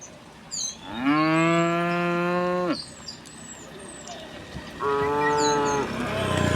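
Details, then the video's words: Dozens of tame cows walking on a quiet country road amid green countryside: two long, steady, deep moos, the first about two seconds and the second shorter, with faint high bird chirps in the background. "the sound of the cows mooing, echoing along the road"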